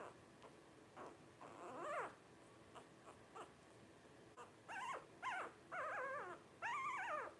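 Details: Blenheim Cavalier King Charles Spaniel puppies, 12 days old, from a litter of five born over New Year 2023: scattered soft squeaks building into several loud, arched whining cries with wavering harmonics, louder toward the end.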